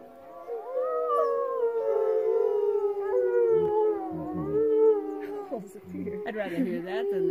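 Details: Wolves at a wolf sanctuary in the Wet Mountains near Westcliffe, Colorado, howl in long, smooth tones that slowly slide downward, with several voices overlapping.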